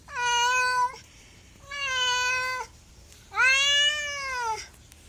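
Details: Cat meows indoors, three sustained calls: two level, even meows followed by a louder, arched one that rises and falls, each near a second long.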